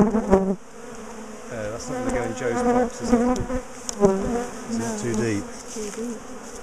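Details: Bees from a large colony split and moved out of a top bar hive, known for chasing people down the garden; loud swirling buzz rising and dipping as individual bees pass near, with a few clicks and taps.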